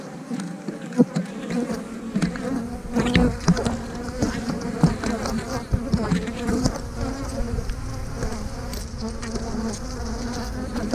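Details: Honey bees droning inside an opened hive while frames are handled to check larvae and brood, a steady low buzz broken by scattered clicks and knocks of frame handling and a few brief louder bursts.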